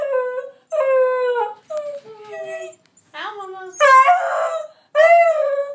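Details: Moe and Slim, two dogs, performing their howling trick. A few sliding, falling howls and a sharper rising yelp follow one another with uneven pauses. The last cries are louder and rougher.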